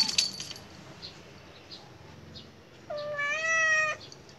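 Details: Khao Manee cat meowing while playing: one clear, drawn-out harmonic meow lasting about a second, steady then slightly falling, after quiet rustling and a brief metallic clink at the start.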